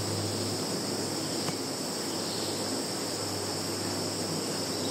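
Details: Insects calling in a field in Zhukovsky district, Kaluga region, Russia, on 11 September 2019, recorded on a Samsung Galaxy phone: a steady, unbroken high shrill chorus with a faint low hum underneath.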